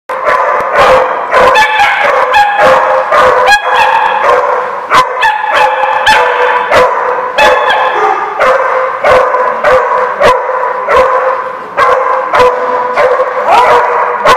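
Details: Dogs barking, dated 16 January 2016: a dense, continuous chorus of loud, harmonic barks and yips, overlapping and irregular, with sharp clicks or knocks scattered throughout.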